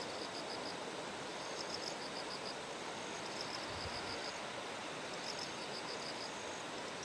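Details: Early-September morning in Kumamoto's Kikuchi rice terraces before a typhoon: bell crickets give thin, high, pulsed ringing phrases in repeated clusters, half-buried under the constant broadband roar of clear flowing water.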